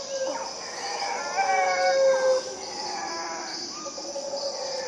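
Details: Howler monkeys in Costa Rica: a single hoarse, droning howl with stacked harmonics swells over about a second and then stops. Faint howls follow, over a steady high insect-like hiss.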